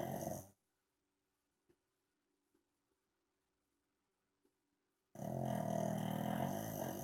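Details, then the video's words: Gonzo, a pug, snores in his sleep: a rough, buzzy snore fades out, a long stretch of silence follows, then another loud rasping breath begins. "Gonzo snoring pug"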